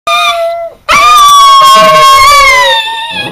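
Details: Pet Chihuahua singing in bed: a short steady howl note, a brief break, then a longer, louder clear howl that slowly slides downward and fades, in a quiet room.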